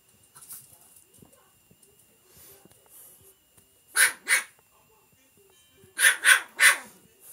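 A chinchilla lets out short, harsh, barking bursts, first a pair and then a rapid run of three. Between them the room is nearly silent, with only faint rustles and clicks.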